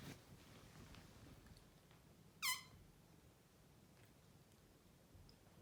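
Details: A chatty male Maine Coon gives a single quick, rising chirp in a quiet room, a sound he uses to tell his owners off.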